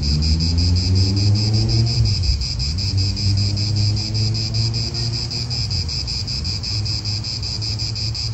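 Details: Cicadas buzz continuously in an Italian park, their rapid pulsing drone steady overhead while a nearby car passes with a rising then falling engine hum and wind rumbles low.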